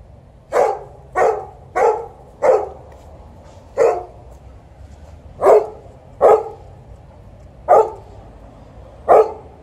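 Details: Alaskan Malamute and Golden Retriever dogs vocally warming up before a walk: a run of nine short, sharp barks, about one every second, with a brief pause midway and a quiet background.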